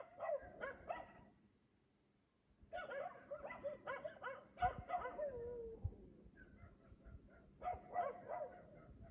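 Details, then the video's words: At 3 AM in Aliseda (Los Galaperos) a dog barks, as it does every night while its owners sleep: a short volley, two seconds of quiet, then a long string of sharp barks, insects chirping steadily behind. "Ladridos de perro a las 3 AM TODAS LAS PUTAS NOCHES EN ALISEDA (LOS GALAPEROS)sus dueños duermen!"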